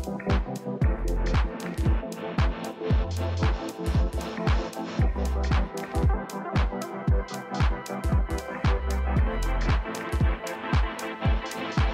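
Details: Upbeat electronic dance music with a steady thumping beat and bass runs through the whole stretch, with no animal voice heard.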